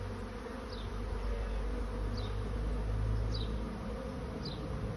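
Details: Swarming honey bees seeking a new home make a steady, deep, full-bodied buzzing drone, loudest near the middle, while faint, high, falling chirps recur roughly every second above it.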